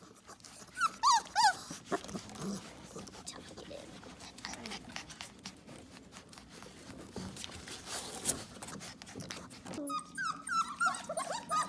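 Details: Four-week-old puppies indoors crying to be held, giving a few high, wavering whimpers that dip and rise, with a long stretch of handling noise and rustling between bursts and a cluster of squeaky cries near the end.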